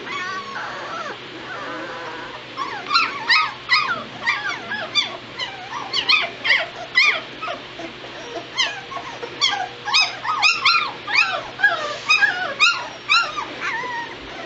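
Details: Two-week-old White Shepherd puppies in a litter, crying together: a dense stream of short, high, arched whimpers and squeaks, about two per second, overlapping and irregular, growing busier after the first few seconds.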